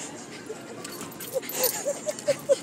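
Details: Jack Russell Terrier in a pet store giving a run of six short, high, thin whimpering notes about every quarter second, rising slightly, over steady indoor store hum and hiss with brief clatter.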